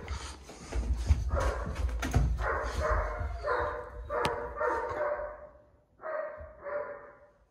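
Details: Dobermann puppy named Ulonzo giving a run of short, harmonic yelping barks at roughly half-second intervals, then a brief pause and two more barks, with handling noise early on.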